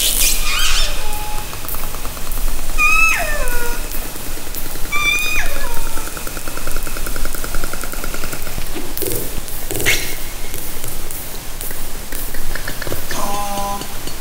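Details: Orcas recorded by hydrophone from a kayak in Haro Strait, summer 2010: repeated bright pulsed calls with stacked harmonics that hold steady and then sweep downward, clicks scattered throughout, over constant hiss of water and underwater noise.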